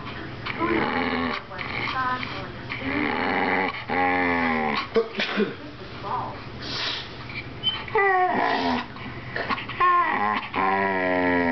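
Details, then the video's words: A pet Bull Terrier 'talks' in a string of wavering, groaning whines and yodel-like moans with short growly bits, pitch sliding up and down, bursts separated by brief pauses, faint low hum behind. "Do you speak Bull Terrier?"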